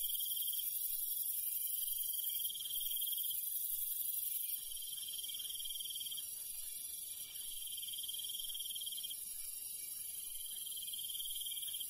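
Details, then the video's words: Countryside crickets at night: an unbroken high-pitched insect chorus of layered ringing tones, with a rapid pulsed trill coming and going in bursts of a few seconds. Faint low-frequency background noise. "시골 밤벌레 소리, 귀뚜라미 소리"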